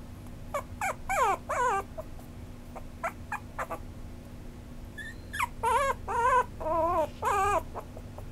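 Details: Maltipoo, a crossbreed of toy poodle and Maltese, whimpering and yipping: bursts of thin, high whines that slide downward, some quavering and drawn out, separated by short pauses, with a low constant hum behind.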